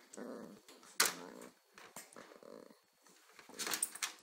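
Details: An 8-week-old Corgi pup and a 6-month-old Corgi interact indoors. Short, low harmonic growls and a whiny grumble are broken by sharp knocks and scuffles in a small room.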